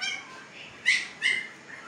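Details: Pakistani Siberian Husky litter at fifteen days old with eyes freshly opened; a soft whine trails off, then two sharp, high squeaks follow a short moment apart.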